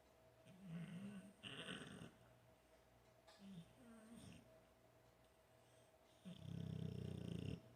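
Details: American Bulldog, a big male, asleep on a couch outside a studio, snoring non-stop, recorded from six feet away without a microphone: low rumbling snores in uneven bursts, the last one loud and drawn out, with a steady electrical hum beneath.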